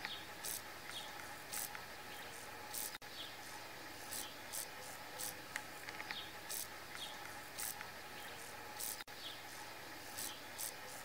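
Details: In a forest, a grasshopper makes short, dry, hissing bursts about once a second over a steady insect hum.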